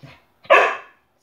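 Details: Eight-month-old standard poodle indoors giving a single short, sharp bark on command as a trick, after the spoken cue to speak; brief handler speech before it, praise follows.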